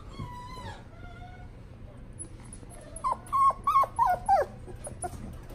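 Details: Shiba Inu puppy at a pet shop: a drawn-out whine first, then after a pause five loud, short whimpers in quick succession, each with a falling tail, over a low mechanical hum.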